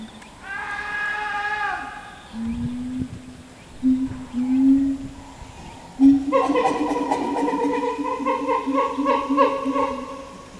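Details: A captive chimpanzee group, the Ryu family with its twin girls, calls out: rising voiced cries, then low hoots, then a long loud harmonic wailing series that carries to the end.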